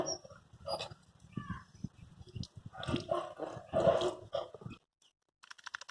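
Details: Labrador Retriever puppy named Hash during its first bath, giving short broken whimpers and brief yelping cries amid splashing, rubbing and handling noises, with a man talking nearby and a quiet pause near the end.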